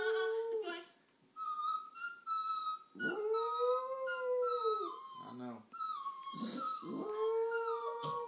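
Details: Pet dog indoors howling along with a woman singing on television at 2011 American Idol auditions in Nashville; long arching wails, one swelling and fading over two seconds, mixed with the televised singing voice.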